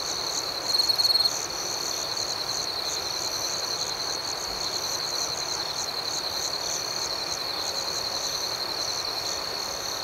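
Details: Cricket chirping at night, steady high trilling and a pulsing chirp layer repeating about four times a second. A short louder burst opens the clip, then the chorus stays even.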